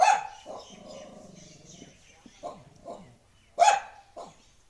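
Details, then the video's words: Street dog barks loudly, then gives softer barks and a whine-like tone, a pause, and one more strong bark followed by a smaller one. "Dog barking sound effect"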